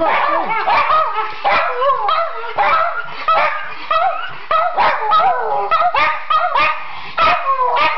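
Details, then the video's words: Several Schipperkes sing on request at home, a jumble of overlapping yips and wavering howls rising and falling in pitch, with short bark-like bursts and a person's voice coaxing them at the start. "Schipperkees Sing!"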